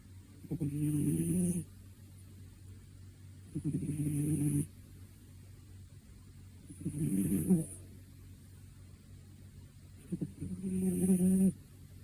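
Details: Two-year-old cat sleeping and snoring: four rasping, rattly snore bursts about a second long, repeating roughly every three seconds, with quiet pauses and a steady low hum between them.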